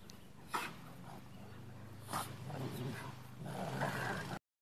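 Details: Big Rottweiler in a truck play fighting with a younger Rottweiler, giving low rumbling growls and snarling bursts, with a sharp snap near the start and oldies music playing faintly behind.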